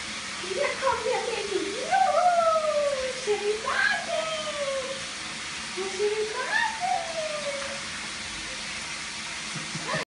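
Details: Teacup poodle whining indoors, wanting a bath; a series of high, gliding whimpers that rise then slide down, several drawn-out and falling in pitch, with a low room hum beneath.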